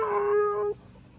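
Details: Brief steady husky howl held on one even pitch for under a second, then cut off, leaving faint background outdoor noise.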